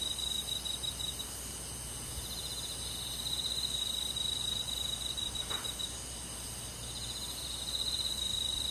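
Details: Summer-night crickets in rural woodland give a continuous shrill, pulsing trill, rapid and even, layered over a constant high buzz of other forest insects.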